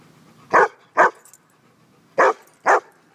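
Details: Dog at a dog park on a sunny Saturday, giving four short, sharp barks in two pairs, each pair about half a second apart, with a pause between them; quiet background otherwise.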